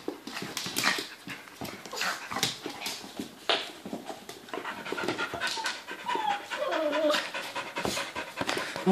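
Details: A dog pants in quick, breathy, rhythmic bursts that run through the whole stretch. People talk in Dutch in the background, and a brief higher tonal sound rises and falls near the end.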